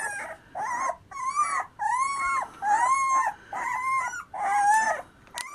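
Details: Terriers, Black Terriers and Irish Soft Coated Wheaten Terriers, whining in a series of six drawn-out, tonal, slightly rising then falling whimpers, each about half a second long and separated by short pauses.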